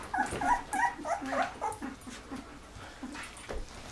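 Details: Thirteen-day-old Golden Retriever puppies from a litter of eleven, eyes just opening; several rapid, wavering whimpers in quick succession, then quieter scattered squeaks.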